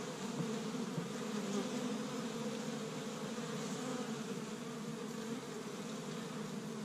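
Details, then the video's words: Busy spring honey bees at an established hive in Michigan on the first warm day, collecting pollen from tree buds; a thick, constant droning with small surges of individual passing buzzes near the start. "See Busy Honey Bees Active in the Spring"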